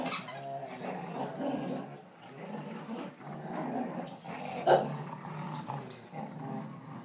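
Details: Rottweiler aged 1.5 years tugging against a 5-year-old ridgeback-chow-vizsla mix, July 2012: continuous low, gravelly growling that swells and fades, with one sharp louder snarl midway, indoors, with a person talking.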